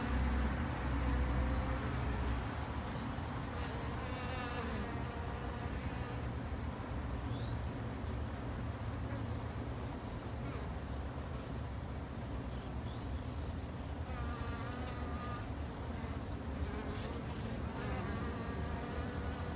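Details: Japanese honey bees at a garden hive produce a long, unbroken low hum, many insects buzzing together, with occasional faint higher chirping streaks over the drone.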